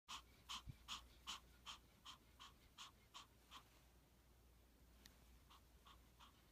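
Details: Female dog born July 2015, 'laughing' while being petted: quick breathy huffs repeated about two to three times a second, fading after three seconds and then resuming more softly.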